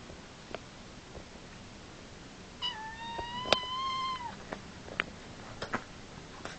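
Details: Mother cat and her son kitten play fighting indoors: one clear harmonic meow rising then holding level for about two seconds, surrounded by scattered clicks, scuffles and thumps of wrestling.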